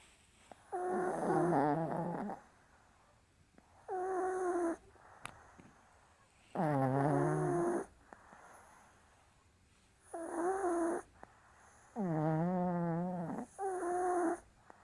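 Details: Two sleeping Maltese dogs, Cherry and Ril, snoring indoors on 27 April: six raspy, harmonic snore bursts of one to two seconds each, spaced irregularly a few seconds apart, with quiet breathing pauses between.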